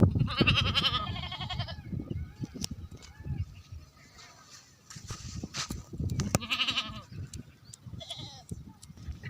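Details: Goats and sheep bleating after rain in Tharparkar, Thar; several wavering, harmonic-rich bleats come early and again near the end, over low rumbling and scattered thumps and clatter.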